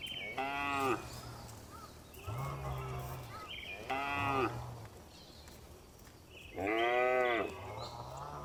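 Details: Tame cows on a farm, herded every afternoon and returning to the barn, calling with loud harmonic moos. Four calls roughly every two seconds, each with a deep lower tone beneath, over quiet rural background.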